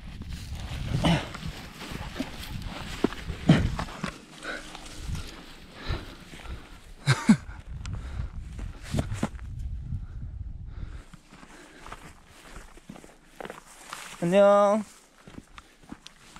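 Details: Border Collie that insists on playing every day until bedtime, here during hula-hoop and ball play: a single loud, harmonic bark or yelp lasting half a second near the end, after thumps, footsteps and people talking.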